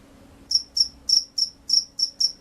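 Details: After a brief silence, a field cricket starts a burst of seven bright, high chirps, about three per second, each sharp and short. A faint low hum sits in the background.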